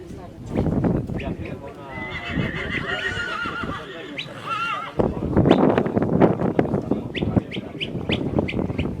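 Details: Polish Coldblood stallion born 2019: a long whinny of stacked harmonics that wavers and falls over about three seconds. Human speech runs beneath it, and loud thumping and handling noise follows.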